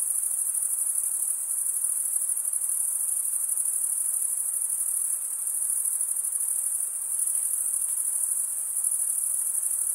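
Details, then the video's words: Continuous cricket chirping: a shrill, finely pulsed trill holding one high pitch throughout, with no birds, wind or voices. "Most relaxing cricket sound for 8 hours"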